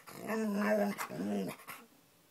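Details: Indoor pet dog, female, growling at Guitar Hero game audio; a sustained low rumbling growl of about one second, a short pause, then a second shorter growl, followed by quiet.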